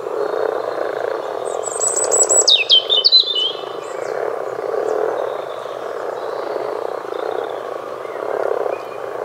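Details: Common frog chorus of low, rolling croaks that pulse unevenly throughout, with a bird's bright rapid twittering notes briefly heard over it.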